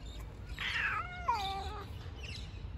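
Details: Fluffy street cat, one of the homeless cats fed nearby, gives a drawn-out harmonic meow that dips and falls, followed by a fainter short call, over low background rumble.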